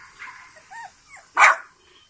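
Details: French Bulldog puppies born on 21 and 23 June 2017: soft rising and falling whines, then one short sharp loud bark, followed by quiet.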